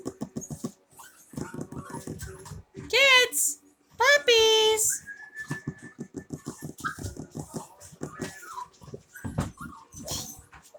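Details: Chloe's Havanese puppies play in an office: two sharp, whiny yelps around the middle, the second longer and dropping in pitch, amid constant patter of paws, scrabbling and quiet squeaks.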